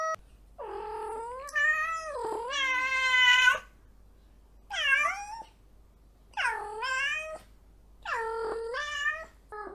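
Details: Kitten meowing repeatedly indoors: long wavering meows, some rising and some dipping sharply in pitch, about every two seconds, with a faint low hum underneath.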